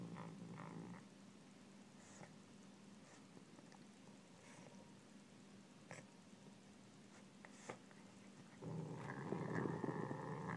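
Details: Savannah cat growling while eating pork: a low, steady rumble runs through the whole clip, with scattered clicks and a louder, harsher surge in the final two seconds.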